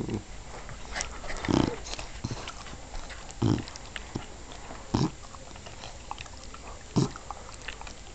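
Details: English bulldog named Lola snoring, even while awake: low, rough snorting breaths, five heavy bursts spaced roughly one and a half to two seconds apart against a quiet indoor background.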